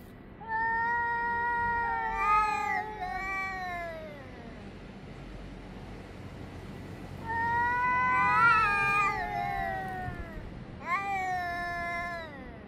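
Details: Cats yowling at each other, recorded 3 Av 5785 between 6:01 and 6:04 summer time: three drawn-out, wavering harmonic howls, the middle one swelling and bending upward before sliding down, separated by short pauses over faint background hum.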